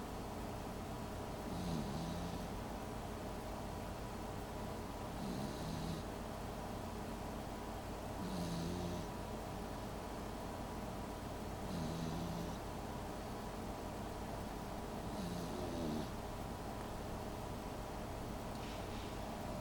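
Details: Sleeping Pembroke Welsh Corgi puppy, little and snoring like a grown man; gentle wheezy snores roughly every three and a half seconds, each with a faint whistling tone, against constant low droning background noise.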